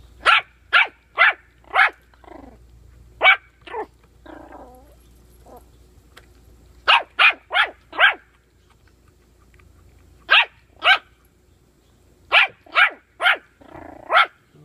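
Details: Puppy facing bully sticks barks in rapid runs of three to four high yaps, a soft growling rumble between runs, quiet gaps, then more yapping bursts.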